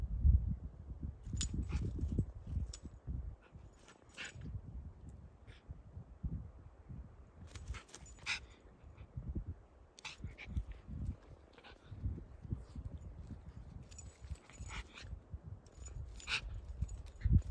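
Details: A Schipperke dog attacking a fly gives soft whimpers and sharp snapping sounds over a low rumbling background.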